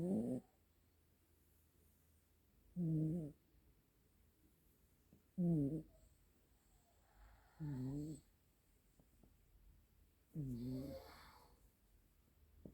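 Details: Two Siamese cats, brother and sister, snoring side by side. Steady low snores with a nasal, harmonic drone recur about every two and a half seconds, each rising then dipping in pitch, against a faint room hum.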